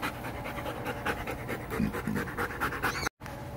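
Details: Steady, rapid breathy panting from a poodle among puppies being visited, soft regular puffs repeating several times a second against a low background hum, cut by a brief dropout near the end.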